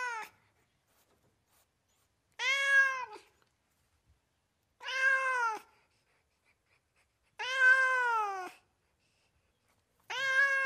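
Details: House cat meowing repeatedly, five arched meows roughly every two and a half seconds, each rising then falling in pitch and lasting under a second, with silence between calls.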